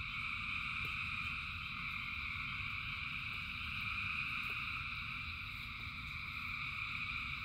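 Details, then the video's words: Frogs calling in large numbers during rain, their voices merging into a continuous, shimmering high-pitched drone that swells slightly, over steady low rain noise and occasional sharp drop taps. "Frogs in Rain 2 Hours of Frogs, Thousands of Frogs Singing"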